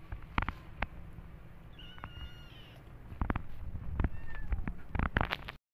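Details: Domestic cat, part of a cat family visiting a new place, gives a drawn-out tonal meow near two seconds and a shorter fainter call around four seconds, amid handling clicks, thumps and low background rumble.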